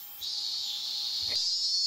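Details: Cicada heard from the smoking area of Homeikan, a 115-year-old Meiji inn, in August 2020; a dense, steady high-pitched buzz that swells in after a short pause, with a faint low tap near the end.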